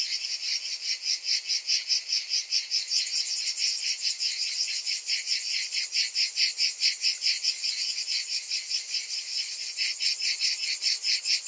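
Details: Cicadas calling through a hot summer afternoon, a dense high buzzing chorus pulsing in rapid regular throbs of about two per second, steady and unbroken throughout.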